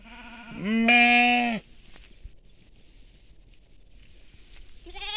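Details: One loud, drawn-out, wavering bleat from sheep on farmland, then silence, with another bleat beginning at the very end.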